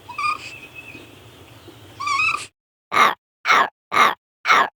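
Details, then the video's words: Raccoon making rising, quavering whistled chirps over a background hiss, then four abrupt, harsh, evenly spaced chattering bursts in quiet. "What does a raccoon sound like? | Real raccoon sound"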